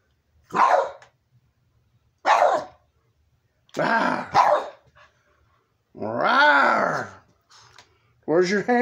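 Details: Old, nearly blind Boston terrier of about sixteen playing with a toy hamburger inside a room; several short rough barks spaced a second or two apart, then a drawn-out rising and falling growl-whine, woman's voice nearby.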